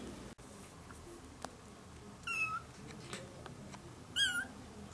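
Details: Two piercing, high-pitched meows about two seconds apart, from month-old ginger kittens in a litter of four with their young mother, a former stray taken indoors; light rustling and bumps between calls.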